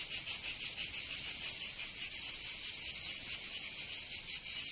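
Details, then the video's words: Cicadas singing in summer in Provence, southern France: a dense, buzzy high-pitched drone pulsing in rapid regular beats, loud and continuous with no other sounds. "Canto Cigarra 🦗 [ Escuchar les cigarras en verano 10 H]"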